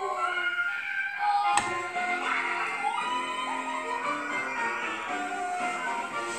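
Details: Steady melodic music plays throughout, with one sharp tap near the start, and no animal voice is heard.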